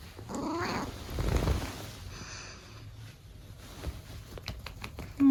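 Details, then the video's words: Snoring from an elderly Abyssinian cat: one rough, wavering inhaled snore within the first second, then soft breathing and low room hum, ending in a short sharp click. "猫の いびき。。"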